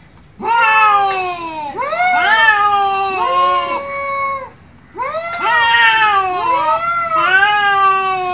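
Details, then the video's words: Cats fighting, giving long drawn-out yowls with rich harmonics that rise then fall, several overlapping voices in two bursts separated by a short pause. "Cats Fighting with sound"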